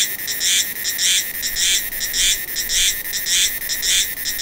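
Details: Meimuna cicada recorded in Taiwan in November and December along mountain roads at Lixing, Tataka, Dongpu and Dasyueshan: loud, high, rasping duck-like quacks in a steady rhythm, about two per second, with softer clicks between.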